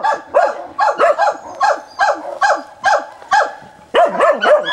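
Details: Samson, a dog, barks very briskly and persistently at a wild boar on 29 December 2017: a rapid run of about a dozen loud, ringing barks, roughly two or three per second, with no pause between them.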